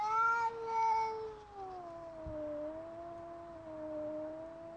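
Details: Loki, a pet cat face to face with a rival cat from a few flats down through a window, sustains a continuous wavering howl that starts loud and slowly slides lower, bending up and down.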